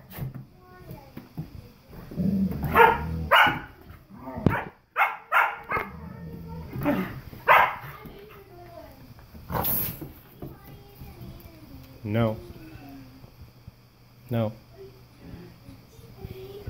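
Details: A 3.5-month-old German Shepherd puppy pesters a 4-year-old English cream Golden Retriever at play. Sharp barks come in short bursts, with some yelps and rising whines between them. A person speaks now and then.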